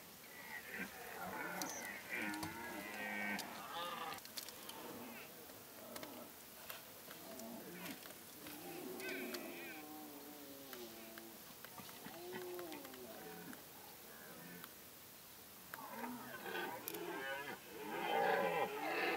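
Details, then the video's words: Many deer roaring together during the rut in Kopački rit Nature Park, Croatia, a strict reserve with no hunting; overlapping moaning, bellowing calls of varied pitch rise and fall continuously, with several animals calling at once and louder bursts near the end. "Massive deer roar"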